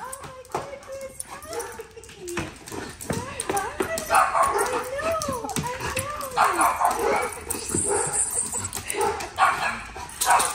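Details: Angus, a chocolate Labrador Retriever, reunited with his owner, whines in rising and falling high wavering notes mixed with yips, while people talk excitedly over him.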